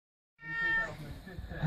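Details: Indoor cat calling a person to be lifted onto a tall shelf: one loud, drawn-out meow, held level then dropping, followed by a man's muffled voice.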